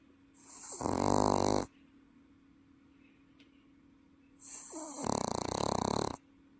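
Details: Pet Welsh Corgi asleep at home in Paju, South Korea, snoring loudly like an adult human: two harsh, rattling snores with a fast buzzing texture, the first about a second long, the second longer, separated by a quiet pause.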